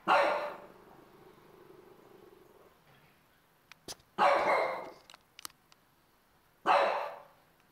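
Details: A 4-month-old French Bulldog barks angrily at the TV, giving three loud, rough barks each spaced a couple of seconds apart.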